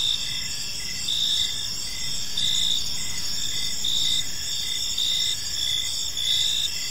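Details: Park at evening filled with cricket chirping: bright sustained trills and evenly pulsed chirps near once a second, over a noticeable low-frequency background hum.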